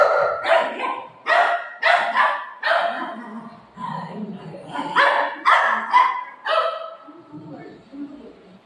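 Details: Golden retriever and shih tzu puppy fighting at home: a run of sharp, rough barks in quick bursts, about two a second, mixed with a person's voice talking over them.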